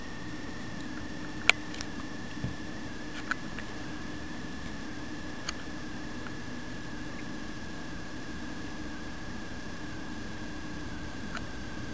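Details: Steady low mechanical hum fills the room, with a constant thin tone running throughout and a few sharp isolated clicks; no animal voice is heard.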